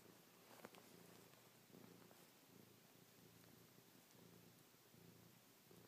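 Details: An indoor pet cat named Chloe purrs softly while nuzzling, pawing and licking her owner's face after a night spent on the owner's back. The quiet purr pulses regularly in short breath-linked bursts over a faint background hiss.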